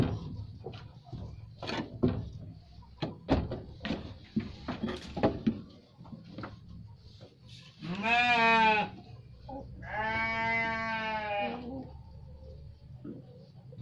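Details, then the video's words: Garut sheep bleating twice, a harsh wavering bleat followed after a pause by a longer, steadier one, preceded by scattered knocks and clattering sounds. "Domba Garut"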